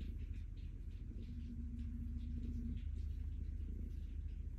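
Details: Calico cat Stella purrs happily under petting, giving a continuous low, pulsing rumble that swells slightly midway, with soft brushing sounds of fur being stroked above it.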